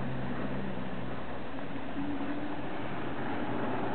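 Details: A steady low rumble, like a vehicle or machinery, fills the recording with no animal voice audible.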